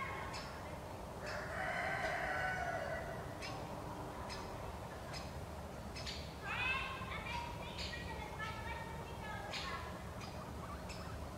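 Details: Guinea pig (Cavia porcellus), wheeking call.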